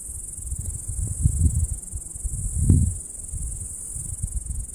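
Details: On a summer meadow, cicadas keep up an unbroken, thin, high-pitched hiss. Loud low wind buffeting rises and falls beneath it in repeated gusts.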